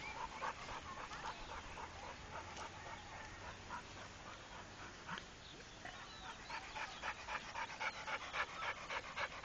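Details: Steady rhythmic panting from Rako, a trained Pit Bull: soft airy huffs repeating at a fast, even pace, nearly four per second, over a quiet hiss of background noise.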